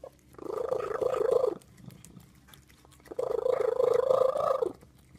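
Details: Cat producing a terrible sound: two sustained, droning moans of about a second and a half each, separated by a short near-silent pause.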